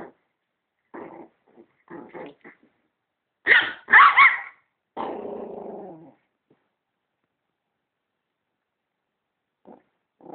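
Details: Dog barking at a vacuum cleaner: soft low grumbles, then two loud sharp barks close together, followed by a drawn-out rumbling growl of about a second, then quiet with faint low sounds near the end.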